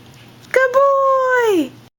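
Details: Golden retriever puppy named Remmy, playing with a new squeaky shark toy indoors: one drawn-out whining or squeaky tone, steady then falling, about a second long, just after a person says sit, sit, good boy.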